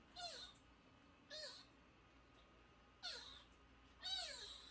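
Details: A nursing kitten under a month old, found crying in front of a house gate and brought indoors, gives four high, wavering mews, each arching up then falling, spaced one to two seconds apart in a quiet room.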